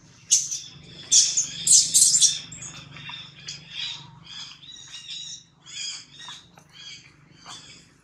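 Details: Newborn baby monkey named Jody crying loudly while held by a kidnapper called Spring: shrill, high-pitched squealing screams in irregular bursts, loudest early on, then shorter, fainter repeated squeaks, over a low steady background hum.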